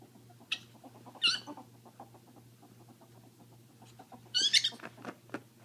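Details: Two pet female ferrets playing indoors, establishing dominance; the deaf one screeches, the hearing one dooks from excitement. Three sharp, high screech bursts stand out over a soft, rapid chuckling patter and a steady low hum.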